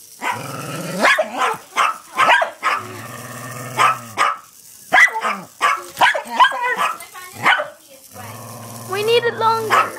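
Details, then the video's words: Two household dogs barking at a hexbug toy they flip over: sharp barks mixed with drawn-out, growly whining tones and a human voice. "my dogs barking at my hexbug"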